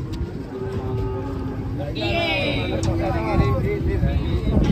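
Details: Cattle unloading from a truck, with a low steady moo at first, then a higher wavering bellow in the middle, over heavy low rumbling and people's voices.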